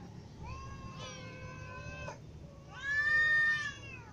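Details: Hungry cats, kittens and adults with a ginger cat, calling for food: two long, level, strongly harmonic meows, the second louder and bending upward, over a low background hum.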